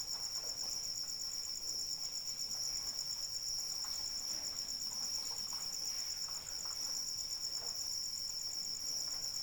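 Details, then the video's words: Cricket calling in the rain: a steady, rapidly pulsed high-pitched trill runs unbroken throughout, over soft, even rain patter with scattered faint drip clicks. "Suara Hujan dan Jangkrik Pengantar Tidur"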